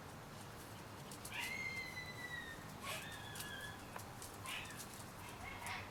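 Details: Shiba Inu puppies, 30 days old, produce a few quiet high whines, each a level or gently falling whistle lasting about a second, separated by soft knocks and rustling against constant low hiss.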